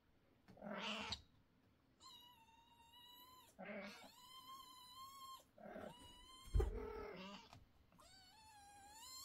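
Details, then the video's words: Loud kittens meowing indoors: several drawn-out, steady-pitched meows with rich harmonics, overlapping short hoarse squalls, about one call every two seconds, plus a sharp knock near the middle. "Kittens meow so loudly that the whole family is worried"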